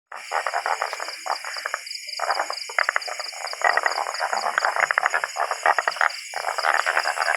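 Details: Tree frogs calling in large numbers in a rural spot in Vang Vieng district, Laos, during a frog-catching outing; dense runs of rapid clicking, rattling croaks from several frogs over a steady high insect drone.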